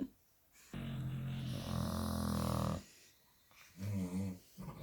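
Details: Night-time snoring from sleeping Staffordshire Bull Terriers Buddy and Zumba: one long low rumbling breath, then short throaty snorts after a brief quiet spell.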